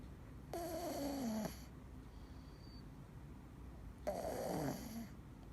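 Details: Dee, a male Scottish Fold cat, asleep and snoring: two loud hissing breaths about three and a half seconds apart, the first carrying a whining tone that slides downward, the second rougher and wavering, indoors.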